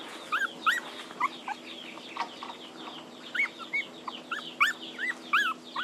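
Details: Puppies crying for their absent mother, giving short, high arched whimpers and squeals in quick bursts, several cries close together, with brief pauses between the bursts.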